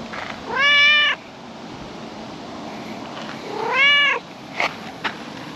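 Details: Tricolour calico cat resting on a park table in the setting sun gives two drawn-out meows that rise slightly then fall, roughly three seconds apart, followed by a couple of faint clicks against steady outdoor background noise.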